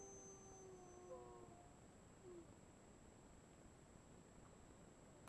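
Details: Gray wolves at a wolf facility in Cocolalla, Idaho, howl faintly, with long, steady low tones that bend slightly in pitch and overlap.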